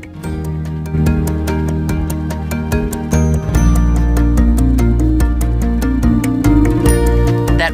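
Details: Steady instrumental music with a regular plucked beat and sustained low tones, with a voice faintly underneath and no animal calls.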